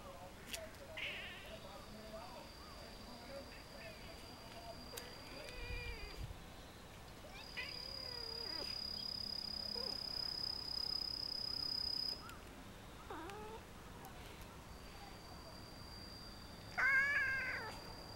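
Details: Pet cats that came down from a block wall to greet a visitor, wriggling their bodies while Indian music played. Several faint, short, bending meows are scattered through a noisy outdoor background with a steady high tone.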